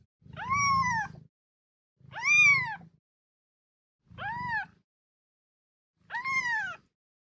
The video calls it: Chaton qui miaule 😍 Miaulement de Chaton pour Attirer un Chat